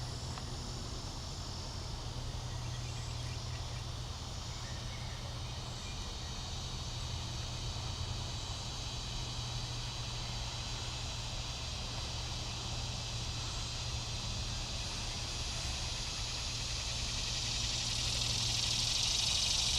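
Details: Morning cicada chorus of Neotibicen tibicen, Neotibicen similaris and Neocicada hieroglyphica in Bonaventure Cemetery, Savannah, Georgia, July 5, 2010. Continuous high buzzing hiss swells louder near the end, with a low rumbling hum underneath.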